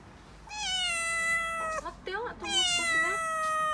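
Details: Mikene, a six-month-old female calico kitten indoors in Okinawa, panics and cries as delivery men bring a new refrigerator: two long, loud, drawn-out meows, each holding a steady tone and dipping slightly at the end, with a short break between them.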